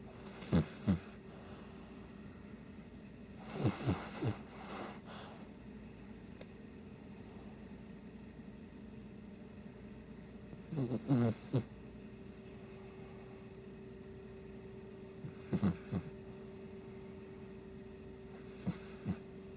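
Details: Sleeping Shih Tzu giving short, snuffly snorts and rough breaths in irregular clusters several seconds apart, fainter than full snores, over a steady quiet indoor hum.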